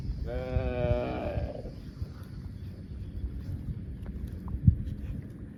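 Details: Cow giving one short, steady, slightly falling moo of about a second. Rich, evenly spaced harmonics sound at the start, followed by quiet rustling and a low background rumble.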